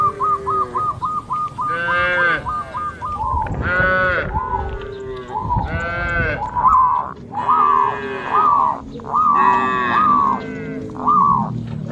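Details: Cattle herd moving together and jumping a path border amid green rice fields. A rapid series of short pulsed calls opens, then repeated loud arching moos from several animals.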